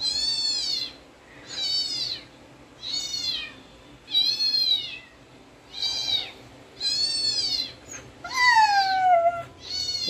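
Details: Siberian Husky reacting to dog sounds: high, arched whining cries repeated about every 1.3 seconds, eight calls in a row, the last one longer and sliding downward.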